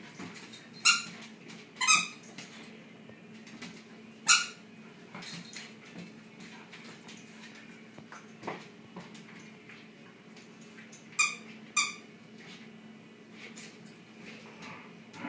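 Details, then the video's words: Shiba Inu dogs at play in a tug of war game indoors, giving sharp, high-pitched yelps and squeals in irregular bursts, some in quick pairs, with quieter scuffling between. "Shiba Inu tug of war"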